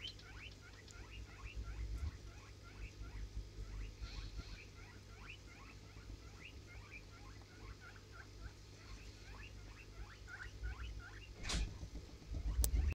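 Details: Rapid, irregular chatter of thin high chirps from a Djungarian hamster, each squeak brief and rising, continuing almost without pause for over ten seconds above a constant low droning background, with a couple of sharp clicks near the end.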